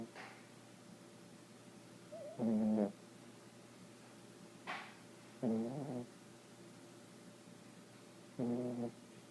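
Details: Young female dog asleep and snoring, a rough buzzy snore repeating roughly every three seconds, each lasting about half a second, with a soft room hum between breaths.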